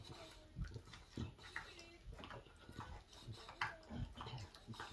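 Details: English Bulldog chewing a bone: wet, irregular snorting grunts and soft chewing clicks, with short broadband bursts spread unevenly through the clip.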